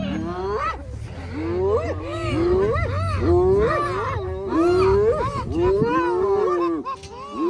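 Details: Spotted hyena clan rallying to save a clanmate caught by a massive lion at Arathusa Safari Lodge in early August; a rapid series of arched, rising-falling harmonic yelps, about two per second, overlapping voices, with a low rumble beneath.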